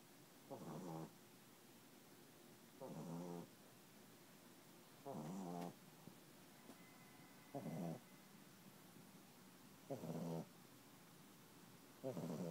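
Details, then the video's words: Sleeping puppy snoring, six rough, buzzy inhalations, each about half a second long and roughly two and a half seconds apart, against a quiet indoor background. "Snoring puppy"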